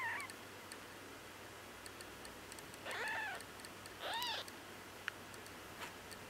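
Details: Week-old female Bengal kitten, eyes not yet opened, crying after losing her place at the nipple while nursing. Two quiet arched mews, rising then falling, about a second apart, with faint clicks and a soft steady background hum.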